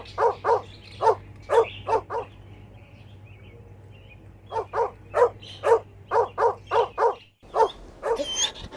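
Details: Puppies and their mother dog playing a toy battle outdoors: two runs of evenly spaced, sharp mid-pitched barks, about six per run, separated by a quiet pause, with a faint steady hum underneath.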